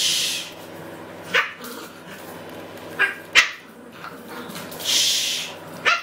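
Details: Pet Maltese dog barking noisily. Short sharp barks come singly at about 1.3, 3 and 6 seconds, with a quick double near 3.4 seconds, between bursts of hissing noise.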